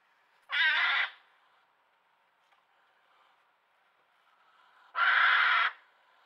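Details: Hedgehog in a garden screaming while a curious badger sniffs and inspects it; two loud, harsh, noisy screams each lasting under a second, about four seconds apart, with quiet between.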